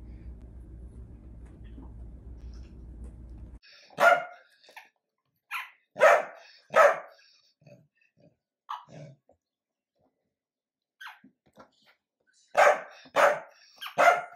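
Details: Dachshund barking indoors: after several seconds of low steady hum, a series of sharp, harsh barks arrives in clusters, three close together early on, then a few faint ones, then another quick run of three loud barks at the end.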